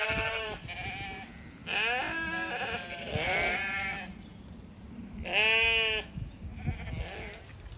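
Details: On an Irish regenerative farm in County Kilkenny, Zwartbles sheep bleat to each other about being fed; four distinct bleats, wavering and harmonic, the last near second five the loudest and longest, with quiet background noise.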